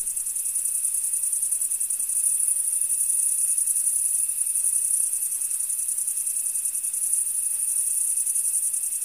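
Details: Crickets chirping in a field: a dense, high, shimmering chorus of rapid pulsed trills that holds steady throughout, with a faint, thin, constant lower tone running underneath and no other clear sounds.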